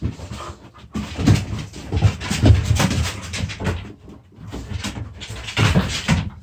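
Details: Puppies play-fighting indoors: low, rough growls and snorting pants run in irregular bursts, mixed with loud scuffling and thumping from bodies and paws on the floor.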